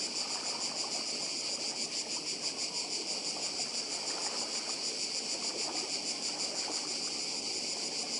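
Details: Steady chorus of cicadas on the Croatian island of Badija, recorded by the sea: continuous shrill buzzing with a fast, shimmering pulse, loud and even from start to finish over a faint lower murmur.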